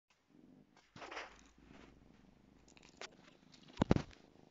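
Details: A 2-month-old female Savannah kitten playing with her toy mouse purrs with a low, steady rumble, broken by scuffling play noises.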